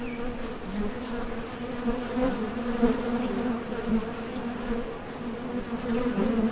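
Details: Honey bees at the entrance of a Top Bar Hive, leaving and landing while foraging for nectar; a dense steady hum of many wingbeats with a strong low drone and its overtone, swelling and easing slightly throughout.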